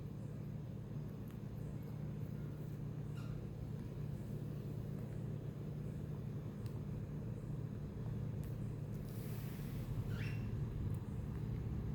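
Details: Steady low traffic rumble with a passing vehicle hiss and a few faint clicks; no animal calls stand out.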